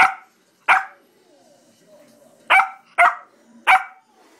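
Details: Four-month-old English Springer Spaniel puppy barking while playing: five short, sharp, loud barks, two early and three close together near the end, with quiet gaps between.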